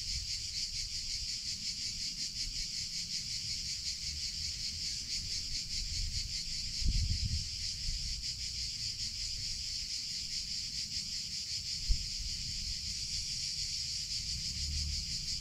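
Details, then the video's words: Cicadas singing in summer, a steady dense buzzing chorus concentrated high in pitch, unbroken throughout, with faint low rumbles and two brief soft knocks partway through. "CICADA SOUNDS - Sound Effect of Cicadas in Summer Sounds of Cicada (Chicharra, Campanero)"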